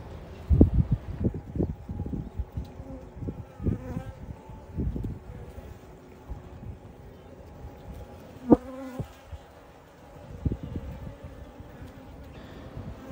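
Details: Honey bees flying in and out of their hive, carrying bright pollen on their legs: a soft, steady wingbeat hum with a faint tonal drone, broken by short low thumps and bumps, with one sharper burst near the end.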